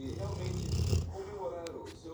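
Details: Labrador Retriever snores a deep, rumbling breath that ends abruptly, followed by a voice speaking softly and a couple of faint clicks.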